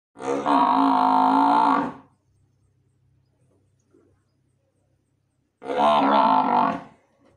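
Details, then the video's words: Murrah buffalo calling with two long, deep, droning bellows of about one and a half seconds each. The calls are rich and buzzy and separated by roughly three and a half seconds of near silence. "मुर्रा भैंस की आवाज"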